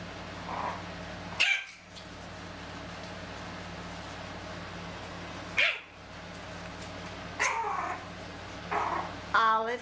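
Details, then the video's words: Playful Chihuahua puppies, two litters aged ten and thirteen and a half weeks, in a carport; sharp high yelps spaced a few seconds apart, the last ones rapid and stuttering, over a constant low electrical hum. "Chihuahua puppies; Bella & Nanett's litter playing"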